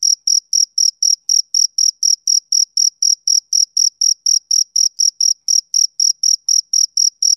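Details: Male cricket chirping steadily, short pure high-pitched pulses at about four per second, each with a fainter higher overtone; nothing else audible.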